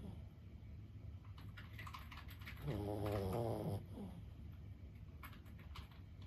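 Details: Fifteen-year-old Boston Terrier Lulu snores in her sleep, a single vibrating, grunting breath of about a second between soft, quiet breathing.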